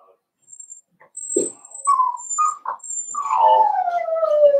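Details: Four-week-old Cavalier King Charles Spaniel puppies in a home puppy pen: a few short nasal whines give way to a long, drawn-out whimper sliding slowly downward, with faint thin high tones sounding above.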